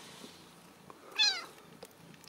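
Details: Ragdoll kittens raised in a home cattery in central Kansas, kept without cages; one loud, high, arching meow rises and falls in a single burst amid quiet room sounds.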